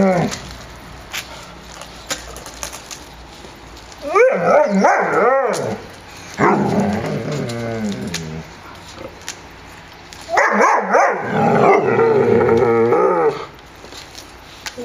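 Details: Kennel puppies at Zwinger vom Elbsandstein romping in the yard, 30 January 2013, 14 °C: two loud rounds of tussling growls and high yaps, each lasting a few seconds, separated by quieter scuffling.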